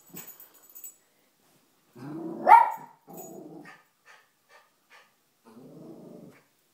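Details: Domestic dog indoors barking at the family's fish, a new behaviour for her; a low growl rising into one loud sharp bark, followed by further growling rumbles.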